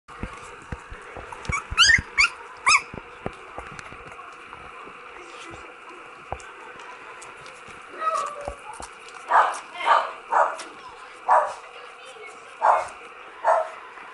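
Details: Twenty-day-old Cocker Spaniel puppies give thin, rising whimpers and squeaks, some in quick bursts.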